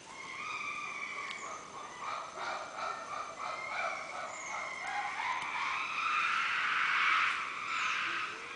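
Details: Chimpanzees calling: several wavering, harmonic hoots and wails overlap, starting softly and swelling louder toward the end into a dense, rising chorus of voices.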